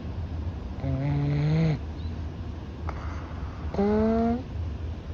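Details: Louis, a rescued Russian Blue cat one month in his new home, breathes in his sleep with a slightly stuffy nose: two drawn-out nasal whistles, low then higher and rising, each followed by a soft airy hiss.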